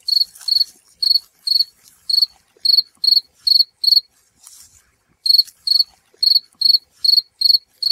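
Field cricket chirping steadily, with bright, high, trilled chirps about two per second and one brief pause midway. No other sounds.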